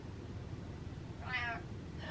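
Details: Gassy indoor cat walking away and giving a single short, nasal meow after a stretch of quiet room hum.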